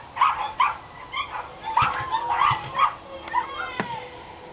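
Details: Barking dogs on 29 March 2013, giving spaced high yaps about every half second that break into a thin whining tone near the end, with a sharp knock.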